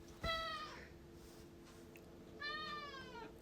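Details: House cat seemingly torn about going back out, meowing twice: a short clear cry, then after a pause a longer one that bends slightly downward, with a faint steady hum in the room.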